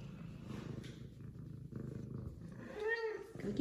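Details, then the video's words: F2 Savannah cat, excited and greeting her returning owner after missing him, purring as a low steady rumble, then giving one rising harmonic meow near the end, with a woman talking softly in between. "F2 Savannah Cat Zara Meows And Purrs Because She Missed Her Daddy!"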